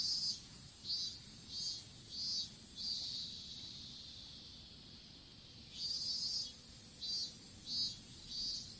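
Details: Strawberry field insects, recorded on a smartphone dropped while planting seedlings: repeated sharp high buzzy pulses roughly every half second, a sustained drone for several seconds, then the pulsing resumes, over a persistent thin whine.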